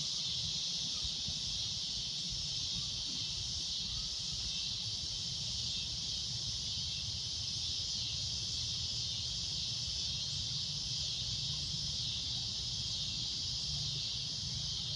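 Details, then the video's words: Steady shrill cicada drone at golden sunset, high-pitched and unwavering for the full fifteen seconds, with a constant low wind rumble beneath. "Cicada A Loud Shrill Droning Noise"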